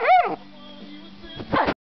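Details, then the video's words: A 12-week-old Airedale Terrier puppy singing one morning: a short arched howl rising then falling, followed by a low steady hum and a final louder burst of yelping sound. "Singing Airedale"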